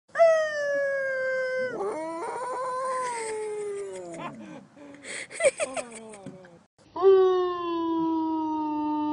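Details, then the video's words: A dog giving a moo-like call: long, drawn-out moaning tones, rich and harmonic, sliding slowly in pitch, broken midway by short choppy yelping notes, then a final sustained, lower moan after a brief pause. "Did my dog moo?"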